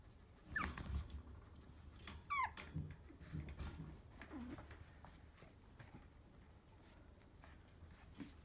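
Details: Honoka, a female puppy, filmed on February 13: two brief high whimpers, the second a thin whine sliding downward with stacked overtones, then faint rustling and low thumping handling noise for the rest.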